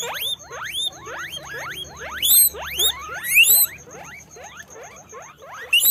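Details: Several guinea pigs, apparently at a guinea pig farm, squeak repeatedly with high rising whistles that overlap.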